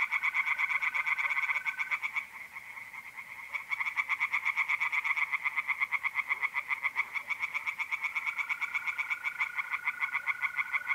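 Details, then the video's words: Pond chorus of tree frogs at night in mid-April, north-east Italy: fast, harsh, evenly pulsed croaks repeated nearly three times a second, briefly dipping, while a mole cricket's thin continuous trill comes and goes. "relaxing singing tree frogs in pond and trilling mole crickets by night"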